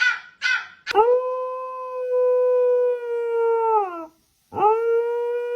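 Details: A dog making strange noises: a long, steady, tonal howl held for about three seconds before sliding downward, then a short pause and another howl begins; a few brief harsh noises come just before the first howl.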